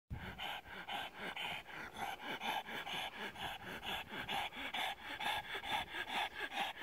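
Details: A pug lounging in the sun on a deck chair, excited by petting, pants steadily with quick, rhythmic, breathy huffs about twice a second.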